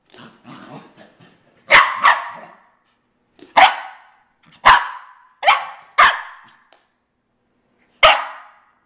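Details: Pet dog indoors, running laps around the house, gives sharp loud barks singly and in pairs, about six over nine seconds with gaps between, preceded by soft pattering and panting sounds.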